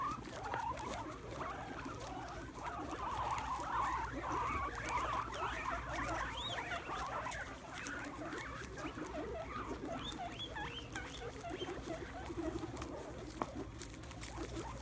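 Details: Several guinea pigs crowd around a plate of sprouts on the ground, squealing with excitement as they eat. Dense high, rising squeaks and chirps overlap throughout, over constant crunchy chewing and rustling.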